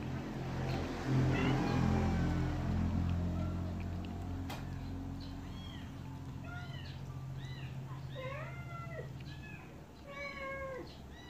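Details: Baby kittens drinking milk give a run of about eight short, high, arched mews in quick succession during the second half, over a steady low hum and faint background rustle.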